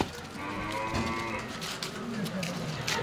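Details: Cherished cattle being sold by their owner: a drawn-out, low, harmonic moo lasting nearly the whole three seconds, wavering and rising slightly in pitch, with music and faint voices behind.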